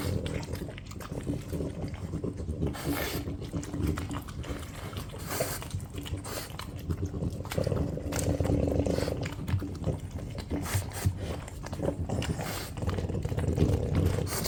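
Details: French Bulldogs Ume, Roku and young Yuki vying for scrambled-egg soboro, the seven-year-old grandmother struggling to walk from a hernia; steady low snuffling and panting grunts, irregular and rapid, with occasional sharper snorts and smacking sounds.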